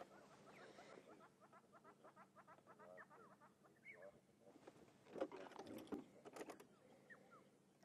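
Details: On a sunrise safari drive on August 16, squirrels give a quick, repeated series of sharp clicking alarm notes at nearby lions, a lioness and her cubs heading to meet their pride.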